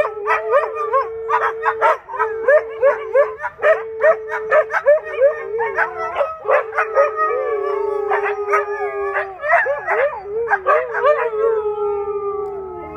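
A Siberian Husky howls and yodels, steady mid-pitched tones broken by quick yips and warbling barks.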